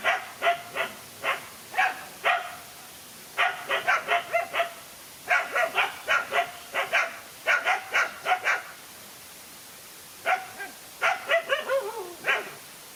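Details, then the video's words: Dogs in a fight, a lone dog facing two males: bursts of sharp harmonic barks in rapid clusters of four to six, pausing between volleys, one final yelp sliding downward. "No fear to fight a lone again two male dogs"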